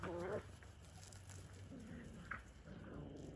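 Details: Whippet puppies aged four to six weeks, a pack at play indoors: a brief high, wavering whine opens, then quieter shuffling with a short faint squeak midway and soft rustle to the end.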